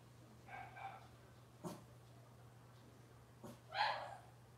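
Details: Cavalier King Charles Spaniel puppies from Robin's litter on a morning kitchen-cam livestream, giving soft, brief whimpering whines in two short pairs, then a louder rising yelp near the end, over a steady low hum.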